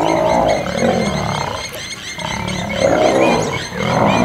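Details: Wild male lions fighting over territory in Kruger National Park, South Africa, an old male against young males: continuous loud, harsh roaring and snarling in two long surges with a brief dip between.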